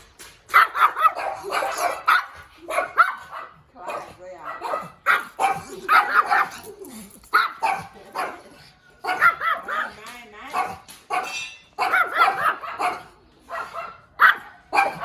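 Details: Cute little puppy barking in short, high, yappy bursts, repeated in quick clusters with brief pauses throughout, with possible human voices mixed in.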